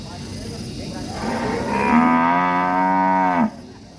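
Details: Single long, steady bellow from an angry cow in an Indonesian village, swelling in over a second and holding level before cutting off abruptly, over a constant background hum.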